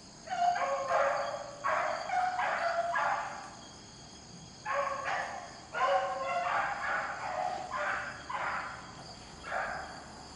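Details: Beagles hunting rabbits in the rain bay in short harmonic bursts, about eight separate cries spaced unevenly over ten seconds, with rain hiss constant between them.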